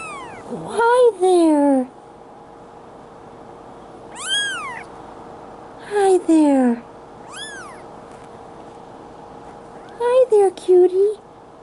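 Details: Bengal kitten, a two-week-old male in Madison, Wisconsin, July 2016, gives a few shrill, arching mews between stretches of a woman's cooing baby talk, with soft background music and a low hum.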